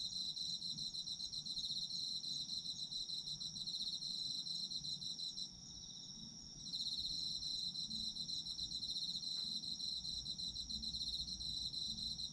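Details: Autumn insects calling, a continuous high shimmering trill of rapid pulses with a short lull near the middle, layered over a steady ringing tone, low background noise beneath.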